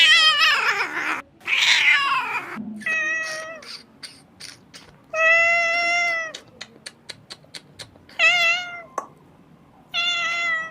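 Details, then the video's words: Kitten crying: a harsh, strained squall at first, then a run of short clicks or taps, followed by clear, high, steady meows of about one second each with brief silences between. "Very beautiful crying sound of a kitten"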